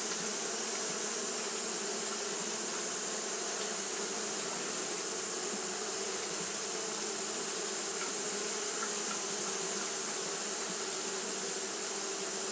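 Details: Japanese honey bees fanning throughout a hot day make a long, uniform drone of layered buzzing tones that holds level, with a constant bright hiss underneath.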